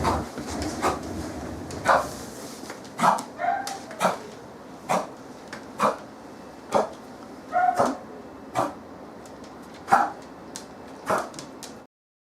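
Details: Fourteen-year-old female American Cocker Spaniel with persistent coughing during a veterinary bronchoscopy: sharp, harsh cough bursts repeated about every second, some doubled, over a steady background hiss.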